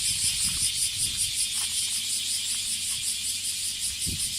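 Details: Male bear cicada in a Kansai park, Japan, calling while perched on a park tree; dense high-pitched rasping drone pulsing rhythmically about two and a half times a second, with faint low rustling and handling noises beneath.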